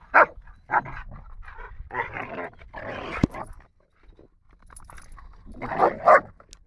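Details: A 9-month-old Rottweiler gives short, rough barks and longer growly bursts while playing with another dog in a park.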